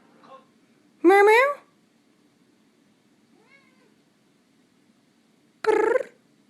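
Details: Overweight talkative pet cat, once found in a dumpster, lets out two loud drawn-out meows several seconds apart indoors, with a faint softer meow between them and quiet room hum.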